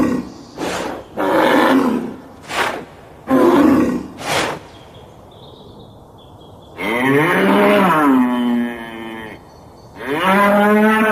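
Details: Raging bull: rough, breathy bursts open the recording, then two drawn-out moos follow, the first long and wavering, the second rising sharply at the end.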